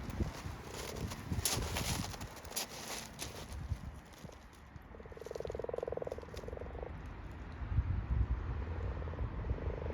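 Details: At night in a garden wildlife pond during breeding, a male common toad gives its release call, a quick run of buzzy, evenly pulsed yelping chirps, to warn off male frogs trying to clasp it, over splashing, rustling and faint male frog mating croaks.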